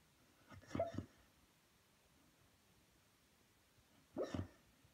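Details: Junior, a Beagle, dreaming and barking in his sleep: two muffled, soft woofs, a paired burst near the start and a single one about three seconds later, over quiet background.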